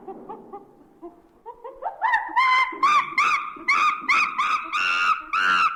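A monkey gives a run of loud, harsh screeches that climb in pitch and repeat rapidly.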